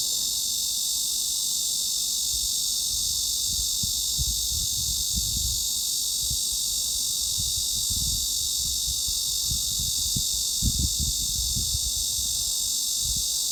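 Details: A cicada's steady, high-pitched buzzing drone, roughly 3.5–4 kHz mid-frequency, holds without a break, with occasional low rumbles underneath.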